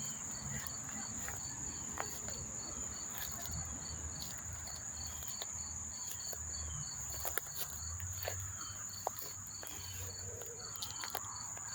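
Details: Many crickets chirping near Monmouth Park Racetrack, New Jersey, on September 4, 2023: a steady high continuous trill overlaid with faint rapid pulsed chirps, plus scattered clicks and a low rumble beneath.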